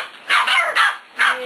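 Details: Playtime with six-week-old puppies and Bea, the adult dog who plays with them each evening; three sharp, high yips in quick succession, the first two running together, then a brief pause before the third.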